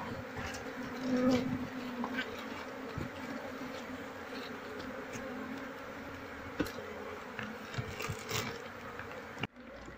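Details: Wild honey bees moved into a cultivation box as the keeper seeks their queen. A dense, even hum from many bees holds steady, with a few knocks and faint handling noises, then cuts off abruptly near the end.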